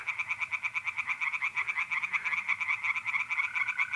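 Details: Night chorus of tree frogs in a pond in north-east Italy in April. Rasping pulses come in quick, regular succession, about three per second, backed by the faint continuous trill of mole crickets.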